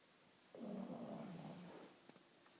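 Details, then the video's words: A sleeping pug snoring indoors: one long, rough, low rasping snore lasting about a second, breathy and rumbling, with quiet room noise before and after. "Мопс храпит"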